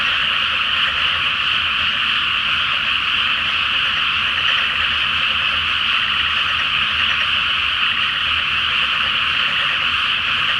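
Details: Frogs in a loud night chorus in a flooded rice paddy before rice planting, under the full Flower Moon in the season when they call every night; dense, unbroken croaking merges into a steady wall of sound, even in loudness throughout, with no other clear sounds.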